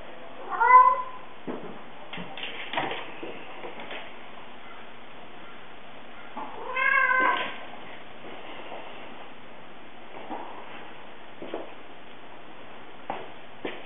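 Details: A blind female cat meowing loudly as she plays. Two strong, drawn-out harmonic meows come near the start and about six seconds later, with soft thumps and rustling from play in between.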